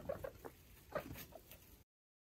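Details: Five baby foster guinea pigs and their mother exploring a freshly cleaned cage; a handful of short, soft chirping squeaks come in quick bursts over under two seconds, with faint rustling beneath.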